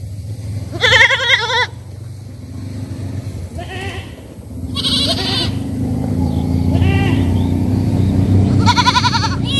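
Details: Goats at a village farm bleat in loud, quavering bursts over a steady low rumble of background noise.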